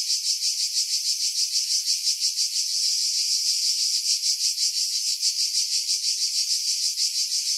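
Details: In hillside pine trees over Pefkos Bay, Skiros Island, cicadas buzz in July: an intense high-pitched rasp with rhythmic swells about three per second, smoothing briefly into an even drone midway.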